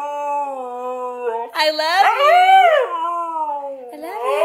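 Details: White Siberian Husky singing loudly: a drawn-out tonal howl holding steady, then jumping higher around the middle with a wavering, yodel-like rise and fall before settling lower and climbing again at the end.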